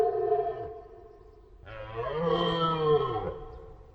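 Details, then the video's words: Deer giving two drawn-out, harmonic-rich bellows: a short, lower moan, then after a pause a louder, longer roar swelling and wavering for nearly two seconds before fading. "Deer sounds / Deer noises"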